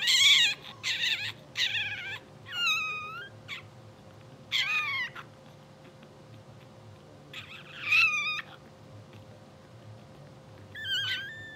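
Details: Blue sable English Bulldog litter, two hours old, filmed asleep and twitching. Repeated short, high whimpers and squeaks, several in quick succession at first, then spaced out, each with a wavering pitch, over a soft background hum.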